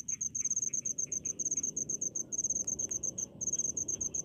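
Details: Crickets in rice fields give rhythmic runs of fast, high, ticking pulses broken by brief pauses, joined by faint lower chirps and an occasional soft click.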